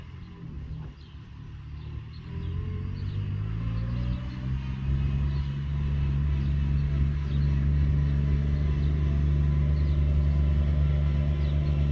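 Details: Deep vehicle engine rumble outdoors in the countryside, growing louder and steadier after the first few seconds, with no animal calls.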